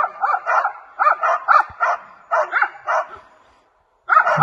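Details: Two 7-month-old West Siberian Laika hunting dogs bay in rapid, repeated barks while holding a maral (red deer) at bay.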